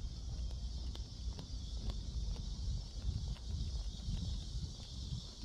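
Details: Cicadas at Seoul Innovation Park on 11 July around 11 a.m. give a steady, high buzzing drone behind low wind rumble and a few soft knocks.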